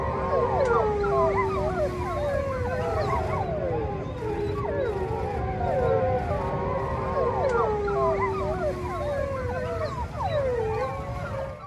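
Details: Several gray wolves (Canis lupus) howl in chorus, long sliding wails overlapping with short yips and quavering notes.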